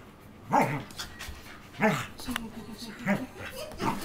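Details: Two tri-colour Pembroke Welsh Corgis play fighting: rough, harmonic growling barks come in bursts about every second and a quarter, with shorter grumbles between them and light scuffling.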